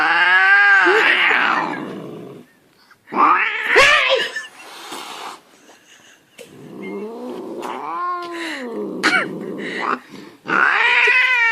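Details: Angry domestic cat letting out loud, strained yowls and harsh snarling bursts, separated by short silences, the wailing tones bending up and down in pitch.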